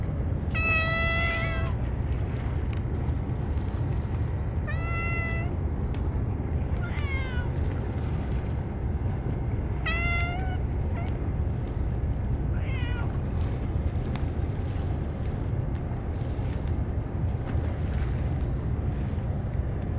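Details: Unusually large group of stray cats fed churu treats alone, Kalkan and dishes forgotten; a series of five or six meows spaced a few seconds apart, some rising or bending in pitch, over steady low outdoor noise.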